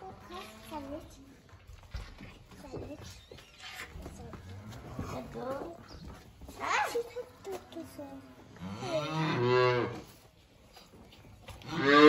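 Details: Hungry calves at feeding time moo again and again, with harmonic lowing calls at uneven intervals, some short and some drawn out, the loudest near the end; human voices and indoor clatter mix in between.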